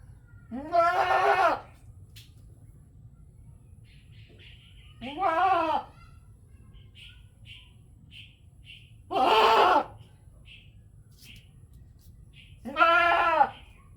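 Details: Several goats in a village in Natore, Bangladesh, bleating four times at roughly four-second intervals, each call a strong quavering baa of about a second, with soft chirping birds between calls.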